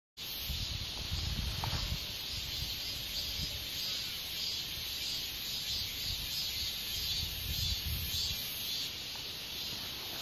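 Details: Katydid giving a steady, dense high-pitched buzz that runs unbroken through the whole stretch, over a low rumbling background of wind or handling noise.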